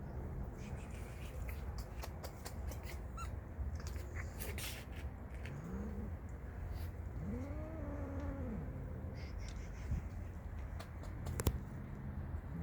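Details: Hungry street cats fighting each other give drawn-out, arching yowls that rise and fall in pitch, one short and one longer, against a steady low hum and occasional sharp knocks.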